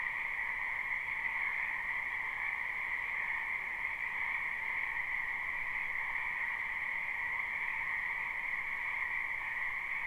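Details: Many frogs croaking in a spring wetland behind a house, recorded live: a dense, unbroken chorus of overlapping high trills forming two steady pitch bands, with no pauses and no other sounds standing out.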